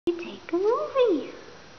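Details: Raggles, a young female rescue cat described as a Russian Blue, gray-blue with a white belly patch, talks back when spoken to; one arched, rising-then-falling meow indoors in a quiet small room.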